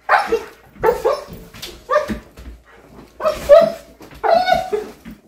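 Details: Siberian Husky reacting to a cat it saw as an intruder: five loud, harsh barks spaced about a second apart, some with a drawn-out, wavering tone, with faint voices in between.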